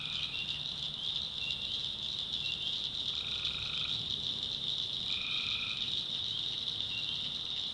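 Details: Night chorus of tree frogs in North Carolina backwoods swamp: continuous high-pitched shrilling throughout, broken by two lower, buzzy trills lasting under a second each, mid-clip and later.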